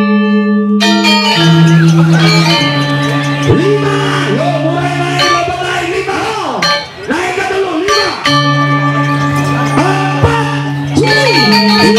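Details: Music with sustained tones and bell-like chimes plays throughout, with a voice speaking over it and no animal calls standing out.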